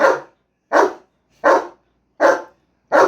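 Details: German Shepherd pet dog barking: five loud, deep, hoarse barks, evenly spaced about every three-quarters of a second, with silence between them.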